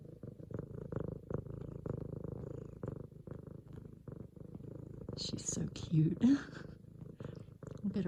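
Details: An F2 Savannah cat, female, purring while making biscuits on a leopard pillow indoors after her owner comes home; deep rapid rumble about 200 pulses a minute, then a woman speaking softly over it in the final three seconds.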